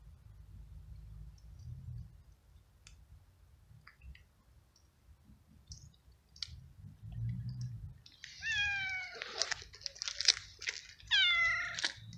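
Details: A very hungry street stray that eats flying ants in the rain: quiet chewing and clicks at first, then a burst of loud, wavering, strained meows repeated over the last four seconds.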